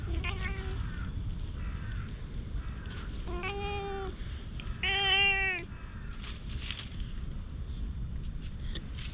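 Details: Black stray cat outdoors, rubbing up against a person and walking along with them, gives several short harmonic meows, one brief and one longer, drawn-out mew near the middle, over steady low outdoor rumble and footsteps.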